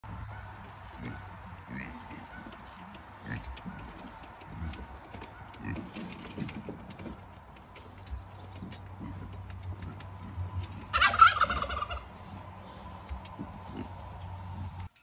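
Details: Kunekune pig excited for hay, doing a happy dance: steady low rumbling grunts throughout, rising to a louder, noisy squeal burst near eleven seconds, with faint shuffling sounds.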